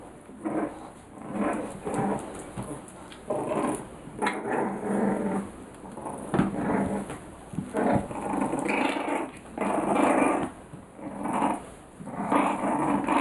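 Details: Five-week-old Bulldog puppies playing together, giving short bursts of low growling and grumbling scuffles that come and go every second or so, with a steady background hiss.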